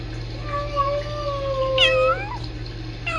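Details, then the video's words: Rescue kittens Sisko and Mila chatting to each other on a Tiny Kittens Society live-stream cam: a long, level, drawn-out mew, then a sharper call that bends upward, over a steady low hum. "Tiny Kittens Sisko & Mila trilling and talking to each other"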